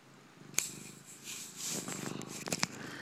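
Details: Purring Siamese kitten drinking craft beer, a low pulsed rumble under brief clicks and slurping or rustling noises that swell in the middle and again near the end.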